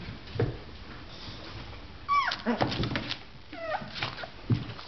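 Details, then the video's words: Just-woken Boxer puppies give squeaky whimpers, each a sharp high note that slides downward, two main cries about a second and a half apart amid light shuffling. "boxer puppies just waking up"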